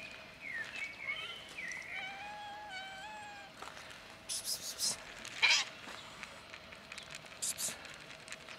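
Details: On a bench crowded with cats, including a black kitten, several thin high meows rise and fall during the first few seconds. Scattered clicks and rustling follow in the quieter second half.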